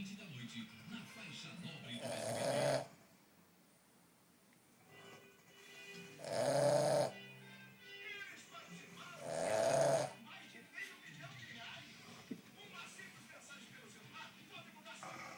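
A Boston Terrier snores in loud, rasping bursts about every three and a half seconds, with faint talk and music behind.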